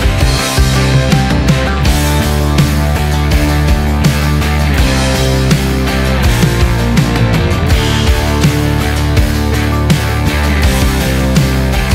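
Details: Loud, dense rock music with heavy guitars and drums fills the whole stretch.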